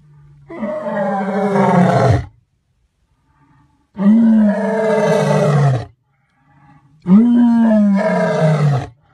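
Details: A white African lion gives three deep, drawn-out roars, each about two seconds long with brief pauses between.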